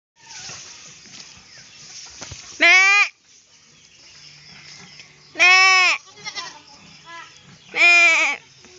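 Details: Playful, mischievous goat bleating three times, each a loud wavering cry lasting about half a second, spaced several seconds apart, with faint background rustling and quieter sounds between calls.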